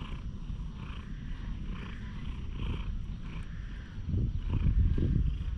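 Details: Friendly one-eyed stray cat in a quiet park, petted and recorded on a GoPro HERO8: a low, steady rumbling purr that swells in rhythmic cycles about once a second, growing louder and rougher near the end.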